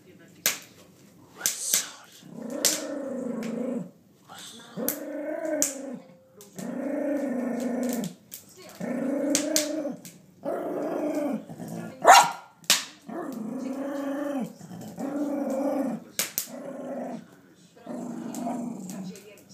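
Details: A Jack Russell Terrier, four years old, produces a long run of throaty, moaning grumbles: roughly ten one-second bursts with brief gaps, some wavering up and down in pitch, with occasional sharp knocks in between.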